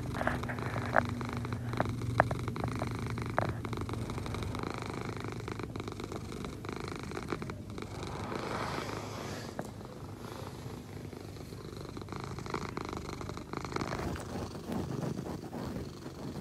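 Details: Egyptian Mau. An Egyptian Mau purrs in a deep, even rumble that swells and eases with each breath in and out. A few soft clicks and faint handling noises sit over the steady drone.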